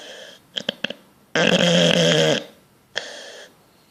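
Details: Bulldog asleep and dreaming lets out a long, loud rasping snore lasting about a second, preceded by a few small snuffles and followed by a shorter wheezy breath, in a quiet room.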